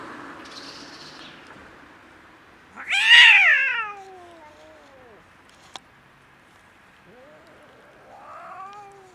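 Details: Friendly, hungry stray domestic cat, a huge fluffy female living on the street on a cold winter day, gives one loud, harmonic-rich meow that rises then falls, followed by a softer, shorter meow near the end over a quiet background.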